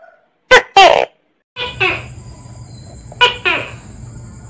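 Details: Calling Tokay gecko (Gekko gecko), a tree gecko of Asia active at dawn and dusk: harsh double-syllable calls repeated in pairs, the later pairs echoing over a low humming background.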